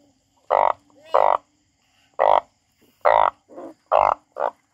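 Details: Harsh, nasal croaking from a frog, six loud short notes spaced unevenly across under five seconds, with a couple of softer grunting calls in between and quiet gaps.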